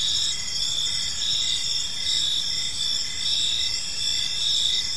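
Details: Gentle chirping of crickets during evening in a park, dense overlapping shrill trills holding steady while a lower chirp pulses in regular short beats, roughly once a second.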